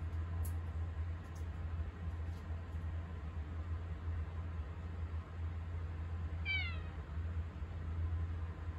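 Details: Domestic cat Mugi in the kitchen, seeking attention when someone stands there; a single short meow falling in pitch, with a steady low hum and a few faint clicks behind it.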